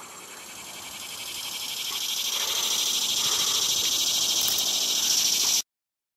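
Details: On September 3, 2020, a male cicada sings his song, a dense, high buzzing that swells steadily louder, then cuts off abruptly.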